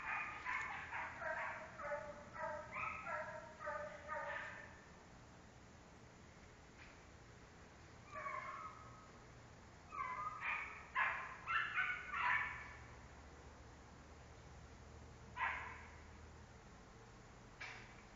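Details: American Foxhound in a rapid run of about eight short bays. After a pause comes a second cluster of louder, rising-and-falling bays, then scattered single yelps.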